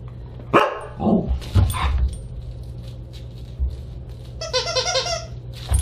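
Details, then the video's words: Siberian Huskies at a December 29, 2022 dinner party: a quick burst of yapping barks, then a high rapid warbling yodel-like run of notes near the end, over a low steady hum. "Husky Dinner Party"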